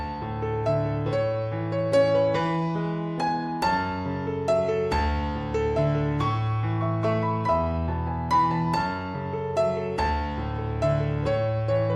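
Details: Piano music plays throughout, with no animal sound heard.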